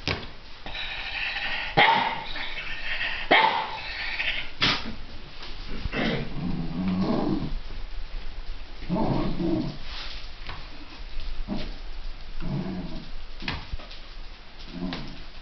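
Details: Two Basenji brothers, an older and a younger, give rough, rumbling growls broken by sharp, higher yips in uneven bursts while peacefully playing rough with a lamb toy.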